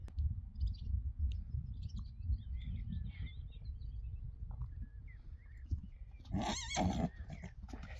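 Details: A Friesian horse outdoors, around the time horses go out to pasture, gives a loud, wavering whinny near the end after low rumbling noise; the owner calls it a very funny sound.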